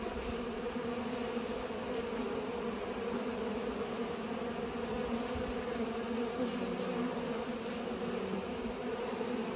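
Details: Steady hum of bees pollinating, a thick unwavering buzz with bright bands around 250 and 500, swelling slightly midway.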